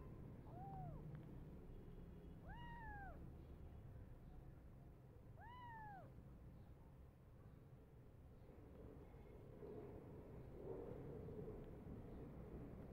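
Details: Hungry foster kittens crazy for their bottle feed give three clear, arching meows about two to three seconds apart, each rising then dropping, followed by quieter shuffling and a low background hum.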